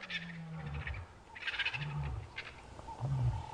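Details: A coalition of five adult male lions roars near a buffalo carcass at sunrise on 13 August 2015 in Sabi Sand, South Africa, defying rivals with deep, moaning grunts in a descending series amid hiss and rustle.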